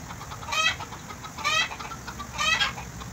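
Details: Goat kept in Bahrain bleating while being bottle-fed: three brief trembling, nasal cries roughly one second apart, each with a fast quaver, against a faint continuous background hum.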